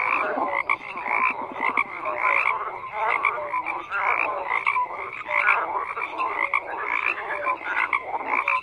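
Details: Many frogs call at once in a thick, continuous chorus. Raspy trills overlap with brief whistled notes. A fast pulsing rattle stands out near the start, and the volume surges in uneven bursts.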